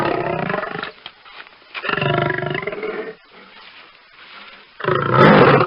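Deep, rough roars from a lion come in three powerful bursts, each lasting about a second. Between them a faint low rumble lingers before the next roar.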